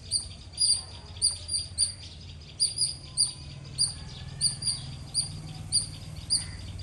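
A squirrel gives sharp, high chirps, repeated roughly twice a second, over a low background rumble.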